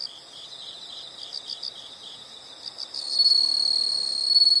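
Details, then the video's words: Insects calling in the open: soft rapid pulsed chirps for three seconds, then a loud, continuous high shrill trill takes over to the end. "the sound of insects"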